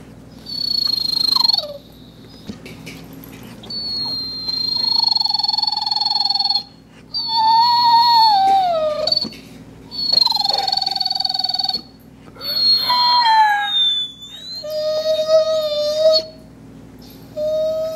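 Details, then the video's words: Kingsley, a rescue dog in the care of HART All Breed Dog rescue, showing his vocal range: a series of long, tonal, high whining notes lasting one to three seconds, some steady, others sliding downward, separated by short pauses. "Kingsley Singing/Whining/Being Annoying"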